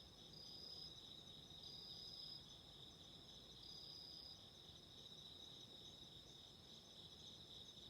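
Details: Autumn insects singing near a burning candle: continuous high, ringing trills in stacked bands, with a brighter upper voice sounding in short bursts of about a second, and faint low crackle underneath.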